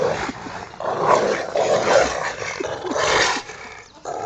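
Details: Ceffy and Oscar, a pair of pet Rottweilers, growl continuously while wrestling for a toy outdoors in their back yard; harsh rumbling snarls rise and fall, fading briefly near the end.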